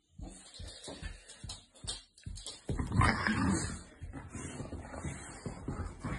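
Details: Two Staffordshire Bull Terrier puppy sisters give short, gruff barks and whimpers while a person speaks over them, telling them to shush and stop barking.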